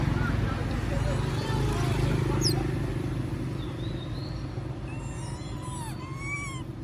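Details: Monkey named Moby begging for food while others eat peanuts; thin, high squeals arching up and down, clustered in the last two seconds with faint overtones, over a steady low rumble and faint voices.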